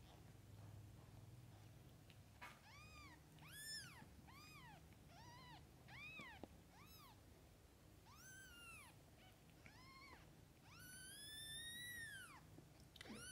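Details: Mother cat and kittens: a rapid series of about a dozen short arched meows, high and plaintive, some overlapping, ending in a longer drawn-out meow, over soft indoor hum.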